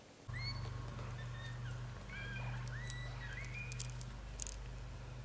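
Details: Lotus, a blue golden British Shorthair kitten, lies in his mother's arms during a sweet dream as his brothers nurse. Quick, thin, bending squeaks and mews tumble out in a cluster over a steady low electrical hum.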